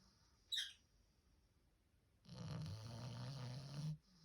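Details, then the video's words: Four-month-old French Bulldog puppy asleep, snoring loudly. After a quiet stretch broken by one brief high squeak, a single long rasping snore runs about one and a half seconds, a deep low rumble overlaid with breathy hiss. "puppy snoring loud!!!"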